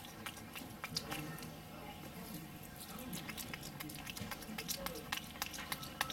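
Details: Wolfgang the capuchin monkey chews a Johnsonville brat with smacking lips, giving scattered moist clicks and crunchy bites at an uneven pace, while a person's voice talks softly in the background.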